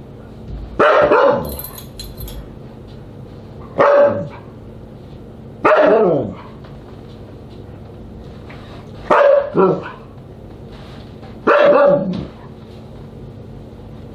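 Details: Siberian Husky at dinner on July 24, 2022, five loud barks spaced about two to three seconds apart, each with a falling tail, quiet background between.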